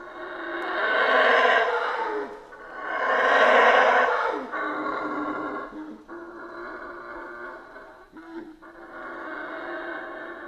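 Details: Howler monkeys in Central American rainforest deliver two big swelling roars, then a steadier lower chorus of rough howling with short breaks.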